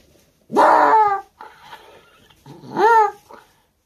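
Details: Elderly Shiba Inu, 15 years 10 months old, indoors after a night of gastric dilation without torsion, treated out of hours by its vet. Two drawn-out, harmonic whining cries, each rising then falling, with a soft breathy sound between them.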